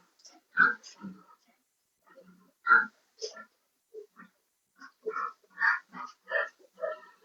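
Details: Sow not coming into heat makes a series of short, clipped oinking grunts, irregularly spaced, roughly one every two seconds at first and then quicker, some with a harsher nasal edge.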